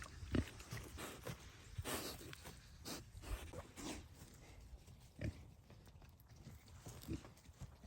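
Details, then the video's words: Pair of piglets munching goodies on a farm homestead, giving short low grunts and snorts at intervals, with louder bursts near the start and middle amid steady chewing and rustling. "45 seconds of cute pig noises!"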